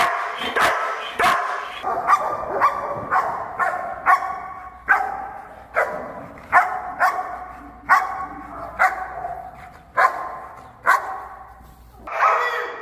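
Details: Storm, a female German Shepherd described as an elite protection dog, barks loudly and steadily, with about seventeen sharp barks over thirteen seconds, repeated roughly every three quarters of a second.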